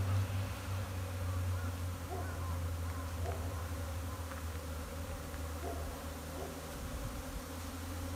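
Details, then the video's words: Japanese honey bees at a hive during a spring swarm, 15 April 2021, the entrance busy and noisy; a loud low droning hum with passing individual buzzes and soft bumps over steady background buzzing. "ニホンミツバチ 春の日の分蜂"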